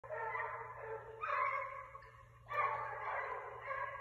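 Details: Pack of six hunting basset hounds hot on a rabbit's trail, 12/21/22: drawn-out, harmonic bays that swell, fade and surge again around the one- and two-and-a-half-second marks, several voices overlapping, with a steady low hum underneath.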